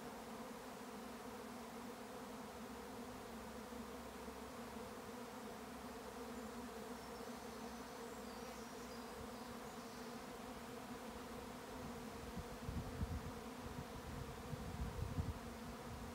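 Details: Honey bee swarm in May on a regenerative farm in County Kilkenny, Ireland: a dense, steady droning hum from countless wings, layered bands of buzzing held throughout, with low rumbling noise swelling near the end.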